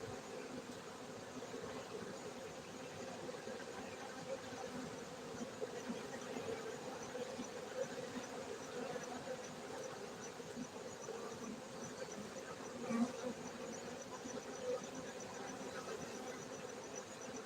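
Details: Honey bees at a honey bee farming centre in Gayo, Bener Meriah, Aceh, Indonesia: a steady, dense low hum of many wings that holds evenly throughout, with a faint high whine above and one brief louder knock near the end.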